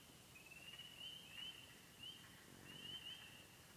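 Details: Frogs calling from the Bentley Ponds in Upper Michigan's Yellow Dog Plains, a site holding spring peepers, wood frogs, green frogs, gray tree frogs and toads; high thin ringing chorus with a few quick upward-sliding peeps layered on top.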